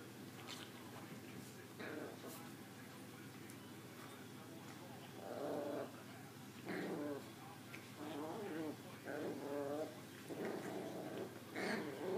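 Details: Two female Maltese puppies indoors, one smaller and more of an instigator; short harmonic growls and grumbles come in bursts of about one second, thickening from the sixth second onward, over a low room hum.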